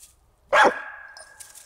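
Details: American Staffordshire Terrier playing on a walk with a tug toy. It gives one loud, sharp bark that trails off into a fading steady tone, with a woman's encouraging voice around it.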